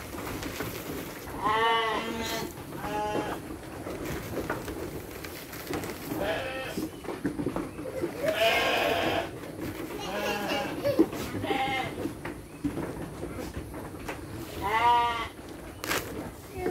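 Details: Farm sheep fed dry fodder while children help, several quavering bleats scattered through the recording, some overlapping, mixed with children's voices and adult chatter in Indonesian.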